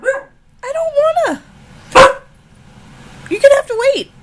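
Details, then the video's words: Female husky Ankita, nearly one year old, protests during an argument with her owner: drawn-out wavering whines, a sharp bark-like burst, then another bending yowl, human speech nearby. "Husky, Ankita argument."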